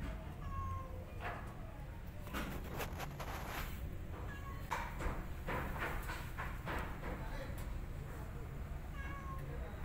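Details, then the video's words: Angry kitten hiding behind an adult cat and hissing: a run of sharp, breathy noise bursts in the middle, with faint short mewing notes near the start and end over a steady low background hum. "Angry Kitten Hiding Behind Cat And Hissing"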